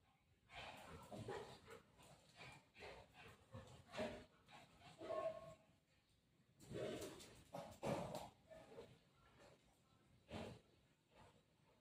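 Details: Buzo, a family pet dog, play-fights on mummy's lap: low, irregular grumbling barks and yips arrive in clustered bursts a few seconds apart, with faint voices and rustling in the gaps.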